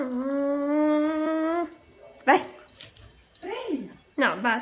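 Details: Female American Cocker Spaniel at play with a ball gives a long, level, tonal whine lasting almost two seconds, followed by several short, sliding whimpers and yelps in a quiet setting.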